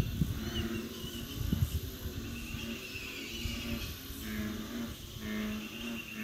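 Deep, resonant droning notes of an American bullfrog, repeated in short low bursts.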